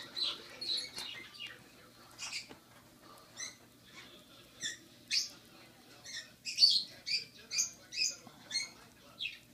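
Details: Six-week-old rescued baby squirrel named Rocky, not yet able to sit up well, nibbling his first carrot: short high chirping squeaks, sparse at first, then a faster run of about a dozen evenly spaced peeps.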